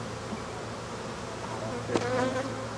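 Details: African honey bees buzzing steadily as their hive is cleared out, a thick constant drone broken by a sharp knock and a brief louder surge near the end.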